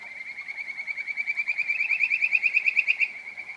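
A Kajika frog gives a clear, bird-like whistled trill of rapid notes that swell louder.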